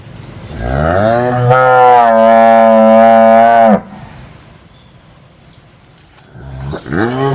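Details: A cow gives a long, loud moo of nearly three seconds that rises, holds steady and cuts off, followed by quiet background, then a second moo begins rising at the end.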